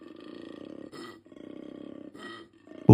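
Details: Koala making a strange, resonant noise used for talking to other koalas or attracting a nearby female: deep pulsing snore-like rasps alternating with brief higher grunting gasps, two cycles, ending in a loud burst.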